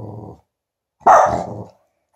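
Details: Tibetan Spaniel, a male dog, scared of a balloon he received as a present: a short, rough growling bark lasting under a second after a low murmur, then silence.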